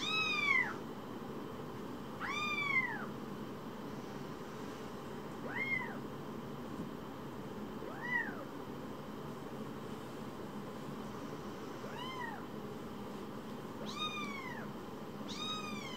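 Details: Baby shelter kittens give about eight high, bending meows spread unevenly across sixteen seconds. Some are strong and some softer, and two come close together near the end, over a faint constant background hum.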